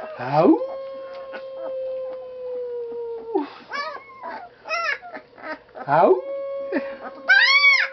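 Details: During a howling lesson, Blue the dog sends up a rising wail into a sustained, even howl of about three seconds, later another short one, interleaved with a person's repeated coaxing calls of "Howl?"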